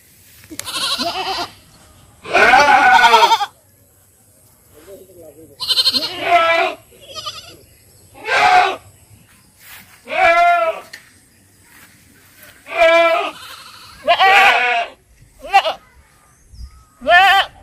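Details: Farm goats bleating in a series of harsh, trembling cries, some brief and some drawn out, with a faint low hum between calls.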